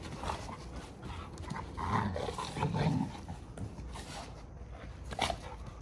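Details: Two Giant Schnauzers in rough play, wrestling with each other; low rumbling growls swell in the middle, set among breathy panting and scuffling bursts.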